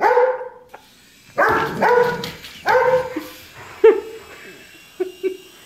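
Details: Poodles named Edgar and Mona barking at a passing helicopter, loud harmonic barks and yips in bursts, several close together then shorter clipped yaps, quiet gaps between.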